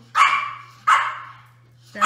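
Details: Six 5-week-old Toy Australian Shepherd puppies at play give sharp, loud yelping barks that each fade quickly. Two come about 0.7 seconds apart, and a third begins at the end. A low steady hum runs underneath.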